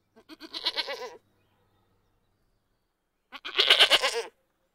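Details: Goat letting out two wavering, strained bleats about two seconds apart, the second louder and harsher, with quiet silence between.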